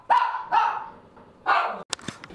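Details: A 13-year-old Schnauzer mix that loves balls gives three sharp, clear barks spaced about half a second to a second apart. Faint clicks and knocks follow after the barking.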